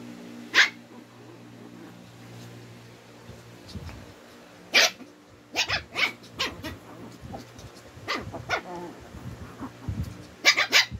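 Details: Twin Shih Tzus challenging each other and growing irritated: sharp, scattered yappy barks, a single one early, then clusters around the middle and end, separated by quiet stretches over a low steady household hum.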